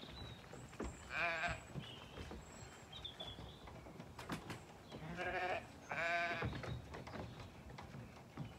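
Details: Lambs loading themselves into a livestock trailer on a County Kilkenny farm in Ireland, after brief confusion over where their breakfast was. A few short, wavering bleats are heard among metallic knocks and clatter.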